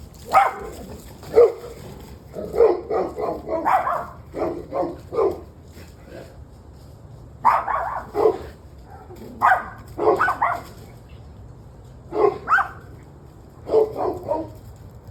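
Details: Dog that had been barking on and off for about an hour and a half, recorded on a November evening: bursts of rapid, repeated barks in clusters of three to six, with short quiet gaps between bursts.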